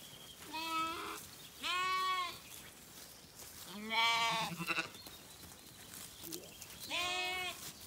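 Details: At dusk on an Irish farm in County Kilkenny, Zwartbles ewes and lambs settle for the night, a lamb calling and a ewe replying; four quavering bleats roughly every two seconds, harmonics stacked high, one rougher.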